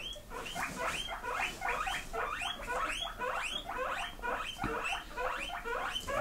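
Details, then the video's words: Indoor pigs answering their keeper's teasing about grass with eager squeals: rapid, high-pitched rising squeaks repeated almost twice a second from several animals at once, steady and insistent throughout. "Who Wants Grass"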